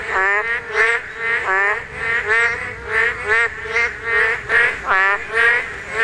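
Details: Korean narrow-mouthed toad calling at spawning time: a steady series of throaty, honking croaks, each short and rich in overtones, about one or two per second, with other toads faintly overlapping.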